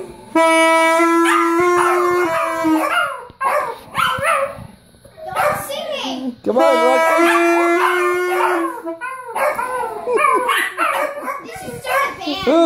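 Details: Yorkshire Terrier Rocco howls with a 9-year-old's saxophone: two held saxophone notes, each followed by wavering, up-and-down dog howls and yips, with a voice speaking during the later stretch.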